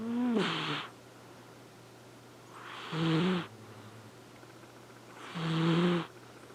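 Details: Asleep, Flame Point Siamese Elfin snores in a steady rhythm, three breathy, buzzing snores with a low voiced tone roughly every two and a half seconds, each under a second long, quiet hum between them.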